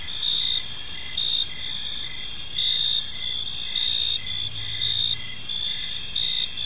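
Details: Crickets chirping in a park on an evening: a dense, steady high-pitched trill layered in several bands, with pulses swelling roughly once a second over a faint low rumble.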